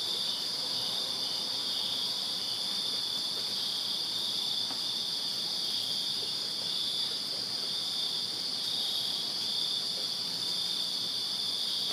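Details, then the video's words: Numerous crickets chirping after dark in summer in a Virginia backyard, their calls fused into a continuous shrill hum at even loudness throughout, with a quieter second band higher up. "Crickets Chirping Summer Night in Virginia"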